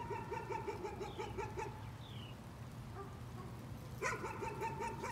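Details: Dog in a nuisance-barking episode: two bursts of quick, high, repeated yapping barks, one at the start and one near the end, with a few thin descending bird chirps between them.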